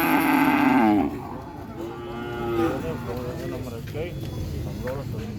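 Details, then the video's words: Cow giving one short harmonic moo lasting about a second, followed by quieter trailing lowing and background rumble; presented as a real cattle sound. "SUARA SAPI MOOOO 3 MENIT COW SOUND EFFECT MOOO 3 MINUTES , SUARA SAPI ASLI"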